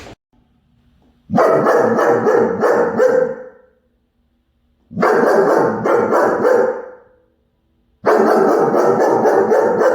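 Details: German Shepherd puppy barking while chasing a squirrel: three bursts of rapid, harsh barks, each lasting about two seconds, separated by short silent gaps.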